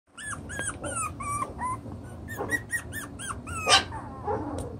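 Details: Chocolate brown Toy Poodle puppies, six weeks old, playing and sorting out their pecking order: a rapid run of high squeaky whines and yelps, some rising then falling, one every few tenths of a second, with soft low rumbling beneath.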